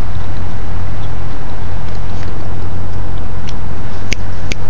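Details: Loud, constant rumbling wind or handling noise outdoors, with a couple of sharp clicks near the end; no animal voice stands out.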